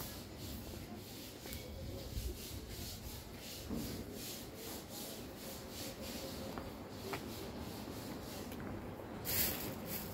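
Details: Soft rubbing and shuffling noises are heard, with no animal voice.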